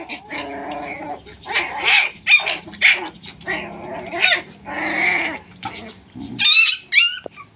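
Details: Full aggressive Pit Bull puppy, SHERA bloodline, at Nanu pitbull farm, barking steadily: about eight hoarse, tonal barks at under one-second intervals. Two thin, high yips come at the close.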